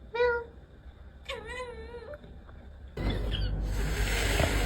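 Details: Domestic cat from a compilation of funny cat sounds: a short harmonic meow near the start, then a longer wavering meow, followed by loud broadband noise in the final seconds.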